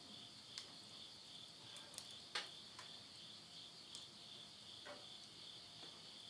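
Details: Midnight insect chorus at summer's end in rural Yurihama, Tottori, Japan, September 2020: continuous shrill buzzing trill holding one high pitch, broken by frequent snapping crackles of a wood fire burning in a house stove.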